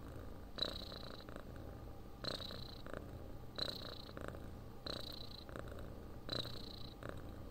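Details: Domestic cat purring, described as cat snoring for relaxation and sleep: a low rumbling drone with rhythmic breathing pulses roughly every one and a half seconds, each inhale adding a brief hissy band, recorded close up indoors.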